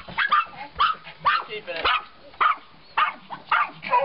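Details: Three pups barking at a stray outside, sharp high yapping barks roughly every half second, uneven, with overlapping yips between them.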